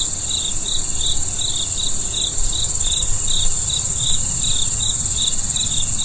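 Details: Night-time crickets chirping in an even, rapid series, roughly three short chirps per second, layered over a continuous shrill insect hiss high above and a faint low rumble underneath.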